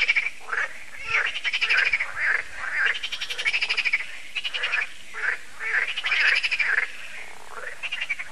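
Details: At a lake in France, Lac de Sabatte, frogs croak in an annual evening concert: loud, quick rattling croaks in clustered bursts, several animals overlapping, with brief lulls between volleys.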